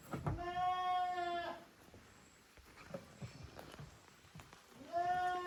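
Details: Young goats of Koharu's and Okayu's teams at play on a handmade goat farm, June 13, 2023: a long, steady, nasal bleat over a second long, quiet yard knocks, then a second bleat begins at the end.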